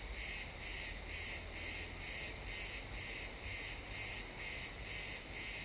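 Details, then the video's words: Sunset in a pine forest, crickets chirping: regular shrill pulsed bursts, around two each second, each burst a short sustained high buzz, with faint low background rumble, captured as an XY stereo recording. "Cricket sounds in the pine forest"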